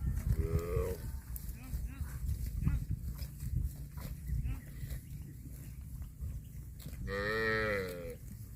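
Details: Cow moos twice, a short rising call at the start and a fuller, longer moo near the end, with low rumbling and scattered knocks and background noise between them.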